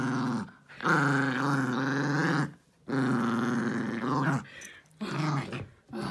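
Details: Pet dog Jiffy attacks his toy elephant after dinner, as he does every evening. Deep, continuous growls lasting two to three seconds each, separated by short breaths, with a final weaker growl.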